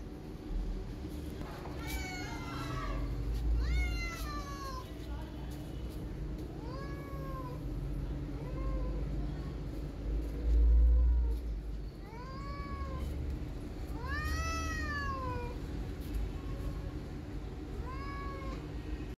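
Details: Meowing around a tabby kitten as a street cat circles her: many rising-falling harmonic meows, some short and soft, others long and loud, scattered throughout over steady low hum and occasional thumps.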